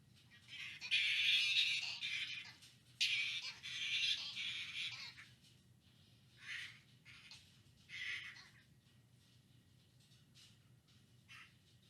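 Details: Flying foxes at the Lubee Bat Conservancy in Gainesville, Florida, U.S.A., on August 30, 2019. Harsh, hissing screeches in two long bursts of about two seconds each, then several shorter, fainter squawks at irregular intervals over a low steady hum.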